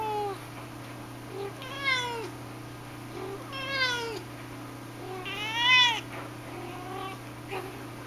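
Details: Indoors with a shaded golden Persian cat named Sahara, mother of the "I" litter, going crazy for a catnip banana while her kittens and other cats lie around; three clear, arching meows roughly two seconds apart over a steady low hum.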